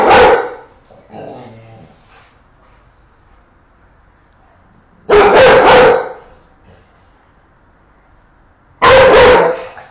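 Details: An angry Rottweiler gives three loud, harsh, broadband barks near the start, middle and end, with softer muffled sounds between the first two and quiet gaps between.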